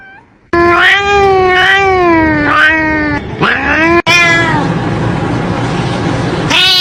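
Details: Domestic cat meowing loudly and repeatedly, a run of drawn-out, slightly wavering mid-pitched meows in close succession, followed by a steady noisy hiss-like background and a final rising mew.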